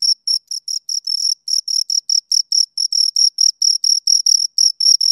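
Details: Two crickets producing a steady run of high-pitched chirps, roughly two to three per second, each a brief pulsed trill with a bright harmonic above; chirps sometimes run together, nothing else audible.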